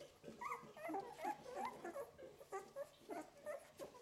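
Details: Golden Retriever litter on its eleventh day: newborn puppies whimper and squeal in quick, wavering high-pitched notes, several overlapping bursts every fraction of a second, close and clear in a small room.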